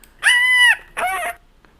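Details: Dog separation whines, a pair compared for noisiness: first a clean, tonal, steady high whine of about half a second, then a shorter, rougher, noisier whine; quiet indoor background.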